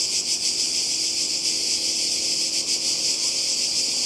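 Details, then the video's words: Cicadas by the sea in Croatia, summer 2020, produce a loud, high, rasping buzz. It is steady and continuous, with a few brief dips in intensity across a short stretch of calling. "Kroatien Zikaden und Meer"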